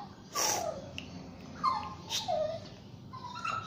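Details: Basuki, a Shih Tzu and Yorkshire Terrier mix dog, during a bath: several high, falling whines, each sliding down over about half a second, broken by brief splashy bursts of water noise.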